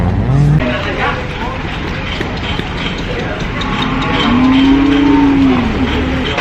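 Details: Cow (Bos taurus), moo.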